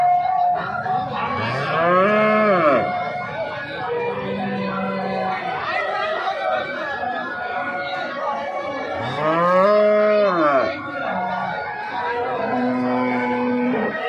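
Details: Cattle at the Jarua weekly Sunday livestock market near Hajipur and Patna in Bihar, on a rainy day. Two long, arching moos, several seconds apart, with shorter level lowing between them over murmuring voices and faint music.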